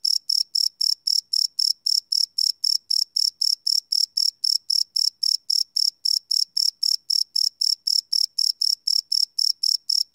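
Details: Night-time cricket chirping captured live with a Sony PCM D100 field recorder, no loops; rapid even pulses near four per second, high and shrill, continuing unbroken through the stretch.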